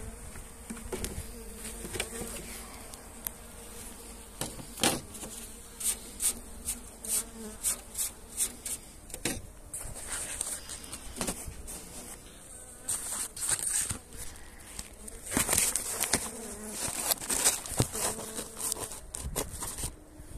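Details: Steady low drone of honey bees at the hive while they are fed energy cakes on a pleasant 29 January day, with frequent loud knocks and clicks of hive work over the humming.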